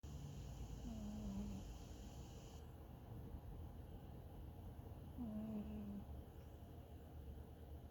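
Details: A sleeping, dreaming cat snoring softly, each breath carrying a thin, tonal, downward-sliding whistle that recurs about every four seconds over a quiet, low room rumble.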